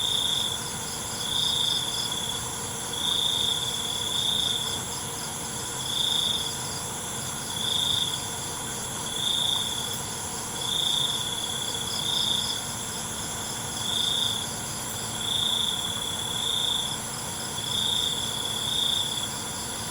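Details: Night crickets chirping, with clear high bursts about every one to two seconds standing out above an unbroken wash of insect trilling and a constant high-pitched ring.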